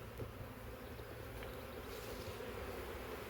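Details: Bees still packed inside a swarm trap box, part of a huge honey bee swarm from a wild woodland hive. A loud, dense hum mixes with low rumbling noise and a few soft knocks.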